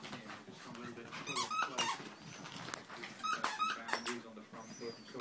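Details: Chihuahua puppies, three of them, playing together; a few brief squealing yips and scrabbling taps come in loose bursts, while human voices talk in the background.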